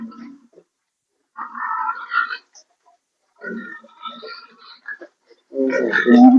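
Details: Sow that is not coming into heat, giving scattered nasal grunts and squeals in a few separate bursts, louder and harsher toward the end.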